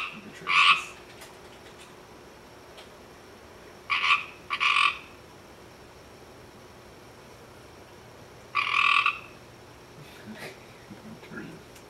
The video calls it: Pacific Tree Frog Rivets and Trills